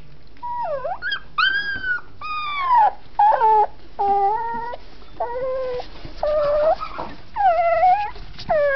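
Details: Dachshund puppies in Campinas, São Paulo, Brazil, settled in a new little house, giving a run of high whining whimpers and yelps, each a short tonal cry sliding up or down, about ten calls in quick succession.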